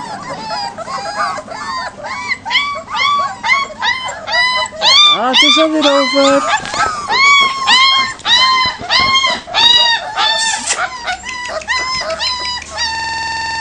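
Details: Leonberger puppies outdoors for the first time, panicking as the big adult dogs start barking; a dense, rapid run of high, arched, harmonic yelps and squeals, roughly two per second, overlapping throughout.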